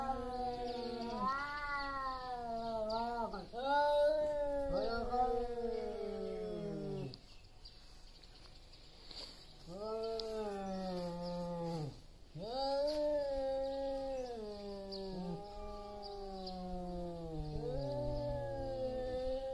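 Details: Loud meowing from two large male cats squaring off before a territorial fight: long wavering yowls that bend down at their ends, broken by short pauses, the two voices trading and overlapping.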